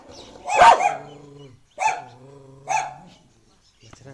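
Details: Street dog giving three separated barks, the first loud and harsh, the later two trailing into drawn-out tonal endings, with quiet pauses between.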